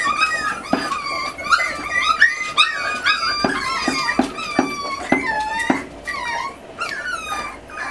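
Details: Miniature Schnauzer litter of eight puppies, forty days old, indoors during weaning after the mother scolds them: many thin, high whining whimpers with bending pitch, overlapping and repeated in quick bursts with sharp clicks between.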